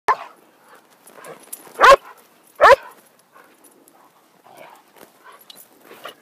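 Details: Pet poodles playing wildly: two loud, sharp barks about a second apart, with softer whines, snuffles and faint voices between them.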